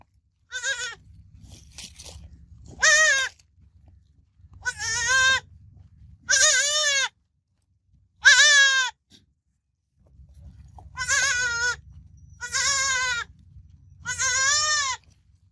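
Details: Baby goat kid bleating in a series of about eight loud, quavering, harmonic-rich cries, each under a second long, separated by short pauses, with a low rumbling background between calls.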